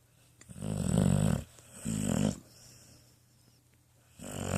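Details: Ten-year-old female pit bull snoring while dreaming in her cozy bed indoors; low rumbling snores in three long bursts about a second each, separated by quiet breathing.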